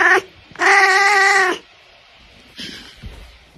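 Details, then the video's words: Oriental Shorthair cat indoors giving a loud, drawn-out meow of about one second, steady and nasal with strong harmonics, after a short clipped call, followed by a softer brief sound. "Meow : Oriental Shorthair Cat"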